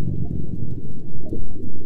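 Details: A gray whale (Eschrichtius robustus) gives deep, bubbly rumbling pulses like air in water. A mother was seen pushing air through the water beneath her calf as bubbles rose to the surface. This is mother-calf communication, perhaps affection.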